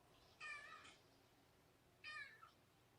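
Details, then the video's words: Indoor kittens Mimosa and Champagne after a January 2018 visit from the cat Kougra: two brief, bright meows about a second and a half apart over a quiet room. "Mew Year's Kittens"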